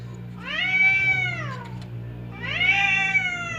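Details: Two domestic cats, fierce Temon and quiet Lelo, on the verge of a fight but kept apart by a divider; two long arched yowls, each swelling then sliding down, separated by a short pause, a low hum behind.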